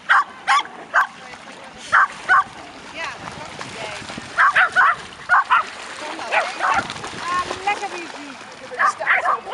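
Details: Several dogs, a mother with her six 10-month-old puppies at a litter reunion on a beach on 3 August 2011, give short sharp barks in scattered bursts, some in quick pairs, with people talking in the background.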